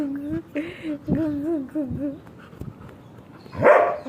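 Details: German Shepherd named Sheru during playful fun, giving a wavering, tonal whine in a few drawn-out bursts, then one louder harsh yelp near the end; quiet room background.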